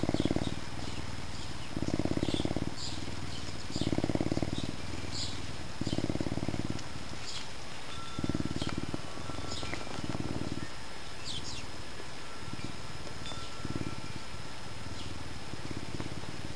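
A Canada lynx gives a deep, rhythmic purring rumble in pulses about a second long.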